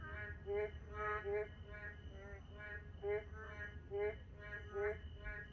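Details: Narrow-mouthed toads at night in a quiet moonlit park repeat short, reedy, harmonic notes in loose pairs and runs, a few louder upslurred calls standing out, above a low hum and a thin continuous high whine.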